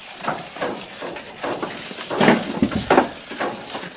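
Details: Goat feeding, recorded at close range: rhythmic crunching chews repeat roughly every two-thirds of a second, with a louder burst of bites midway and steady hiss behind.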